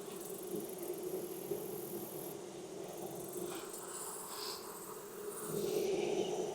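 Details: Honey bee colony hum during a Texas hive inspection on a hot day after heavy rain; a continuous droning buzz of many bees while frames are loosened and split apart, with scraping and handling noises.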